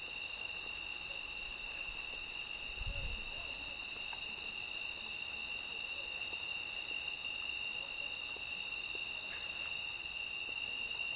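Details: Midnight cricket calling at night, a bright, high chirp pulsing regularly almost twice a second without a break, backed by a continuous faint insect drone and a brief low thump near the start.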